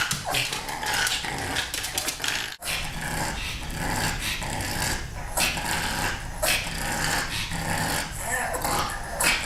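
A pug keeps up a near-constant run of raspy grunts, snuffling snorts and low playful growls. The noises come in uneven bursts with brief pauses, the dog's way of inviting kittens to play.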